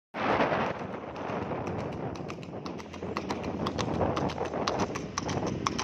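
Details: Horse running very fast on a road, hooves striking hard ground in a quick, uneven clip-clop of sharp clacks, several per second, over a steady rumbling background.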